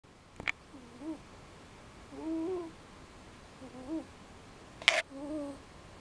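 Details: Pet cat asleep right after dinner, giving its distinctive snore: soft, tonal, slightly wavering whistles, one per breath about every one and a half seconds, with a couple of sharp clicks.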